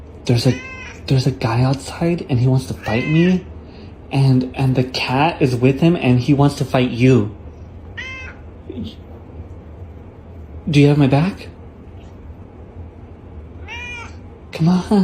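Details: Domestic cat meowing in a rapid run of short, arching, harmonic calls over the first seven seconds, with human speech mixed in, then isolated louder meows near eleven and fifteen seconds.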